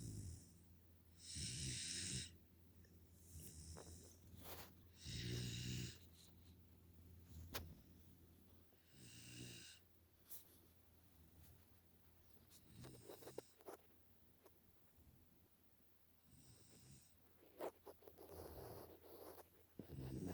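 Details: Sleeping Pungsan puppy Nala, five months old and living in America, snores steadily. Rasping breaths with a low buzzing rumble come roughly every four seconds, loud at first and softer later, with faint clicks and rustles between them.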